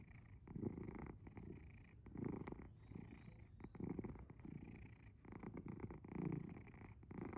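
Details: A sleeping cat named Asher purrs loudly, somewhere between purring and snoring; deep, rough rumbles swell in uneven breathy waves, about five strong surges heard indoors.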